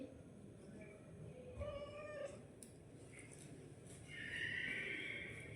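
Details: Domestic cat with two meows: a short harmonic cry, then a longer, higher, strained call near the end, with soft Marathi speech and household noise in the background.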